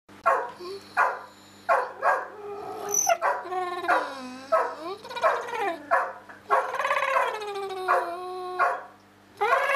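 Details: Pet dog talking with another dog indoors: long, wavering, yodel-like howls and whines with rich harmonics, rising and falling in pitch, broken by short yips; a steady low hum runs underneath.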